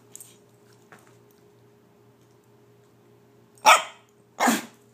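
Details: Female pet dog asked to speak stays quiet over a faint room hum, then gives two short, sharp barks close together near the end.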